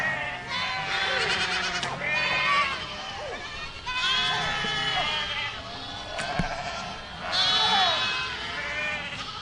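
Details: Goats in a herd giving loud, quavering bleats in bursts every couple of seconds, high and low voices overlapping, with a sharp knock near the middle.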